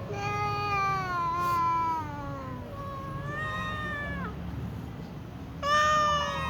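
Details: Little cat meowing before a meal with other cats: long, falling, wavering meows, one sliding sharply down at its end, then a short loud meow, over a steady low hum.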